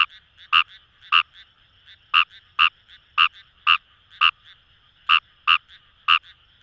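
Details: Fejervarya kawamurai calling in paddy fields along the Kamo River, Itoshima, Fukuoka, Japan: loud short croaks, each with two pitch bands, irregularly spaced about twice a second, over a dense background chorus of fainter frogs.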